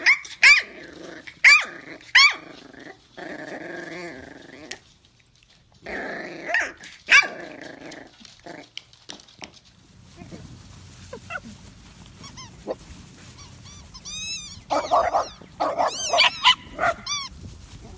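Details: Miniature Dachshund dogs voicing short barks and rumbling growls in quick bursts, then a brief silence followed by a string of high squeaky yelps and whines near the end.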